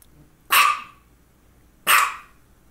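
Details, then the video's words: Two loud, harsh barks about a second and a half apart from Misha, a female house dog having focal seizures around this time, with near silence between them. "Barking and two focal seizures"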